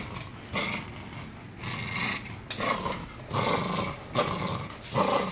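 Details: Norfolk Terrier growling while playing tug of war, rough rasping growls in bursts of about a second, repeated with short pauses between them.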